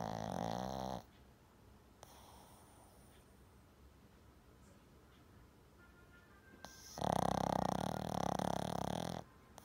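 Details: Pet Shih Tzu Jam snoring heavily in sleep at home, before later waking dazed. A short snore tail opens the recording, a long hush with soft ticks follows, then a strong, grating snore of over two seconds.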